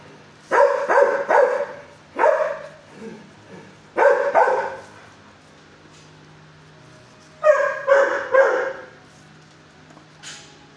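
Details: Six-year-old shelter dog barking from kennel at a person: loud barks in pairs and threes, quieter soft yelps between, a few seconds of silence, then another tight burst of barks.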